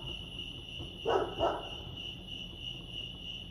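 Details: Crickets chirping at Lake Arrowhead, California: a steady, unbroken high-pitched trill runs throughout, with two short, louder, lower harmonic bark-like bursts near the middle.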